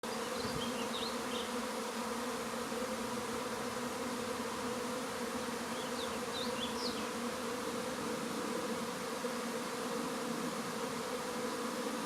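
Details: A honey bee swarm moving into a bait hive in May 2019 fills the air with a steady, droning hum that never breaks.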